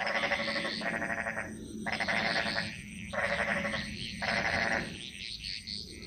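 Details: Bali jungle frog chorus, a spirit-animal song echoing through the forest: buzzy pulsed croaks in one-second bursts separated by short gaps, over a constant high insect whine.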